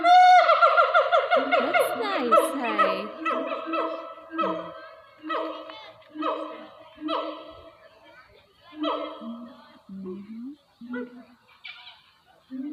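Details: A female siamang at Taronga Zoo, Dubbo, New South Wales, Australia, gives loud, harmonic barking hoots in a fast, rhythmic series, like hoarse laughter.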